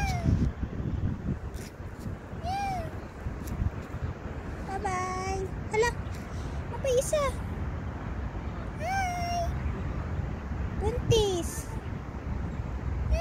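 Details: Street cats seen in January 2024 meow repeatedly, each call a brief arched or rising note, irregularly spaced across the stretch, over constant low traffic-like rumble with occasional voices and clatter.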